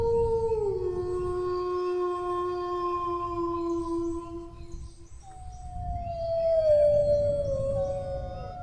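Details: Drawn-out dog howl: a tone slides down early, then holds flat for about four seconds. After a brief gap, a higher howl glides gently downward, with a faint low rumble throughout.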